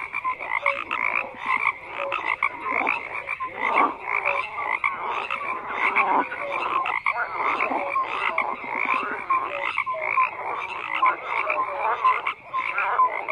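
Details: Overlapping croaks from many frogs form a busy, uninterrupted chorus, rasping pulsed calls rising and falling in loudness, with short tonal chirps sprinkled throughout.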